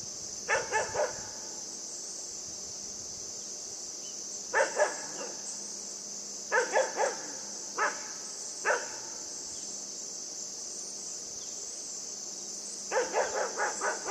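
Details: Yufie, a pet puppy, barking during play with a buck: short bursts of sharp barks, often doubled or tripled, separated by pauses of several seconds, with a constant high-pitched insect chorus underneath.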